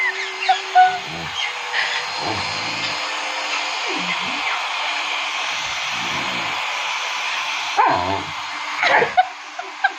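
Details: Pet dog named Shadow, afraid of a hair dryer while being teased, gives short low whimpers and yips in scattered bursts over the steady roar of the running hair dryer.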